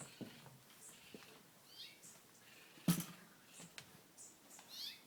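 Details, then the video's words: Young raccoon kits from a family denned under a deck make faint, high twittering chirps in short rising sweeps, spaced a second or so apart, with a low thump and soft rustling in between. "Raccoon sounds of babies"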